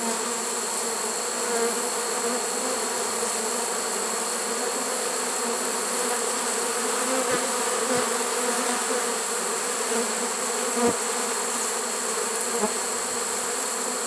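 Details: Many honey bees of a swarm caught in a trap on September 1, 2019, late in the season: a sustained, even hum with a few faint clicks and taps.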